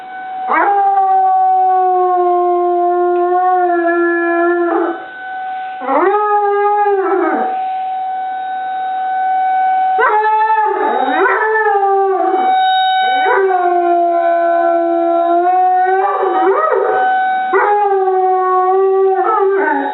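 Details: Molly, a dog, howls along with a tornado siren. Long, steady, tonal howls are broken by sharp rising and falling swoops about every few seconds, with the siren's drawn-out tone blending in throughout.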